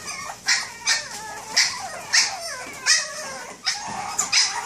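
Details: Boston Terrier barking to wake its owner like an alarm clock; short, high, sharp yips repeated roughly every half to three-quarters of a second, with a soft whining note between them.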